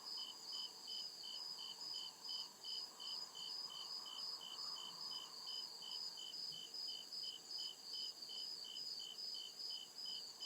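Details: Night-time chorus of crickets deep in the woods, with regular bright chirps repeating roughly two to three times a second and a constant high buzzing trill behind them.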